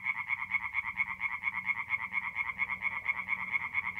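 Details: Night chorus of tree frogs at an April forest pond in north-east Italy. Quick, evenly spaced croaks repeat in a throbbing rhythm over a faint low hum in the background.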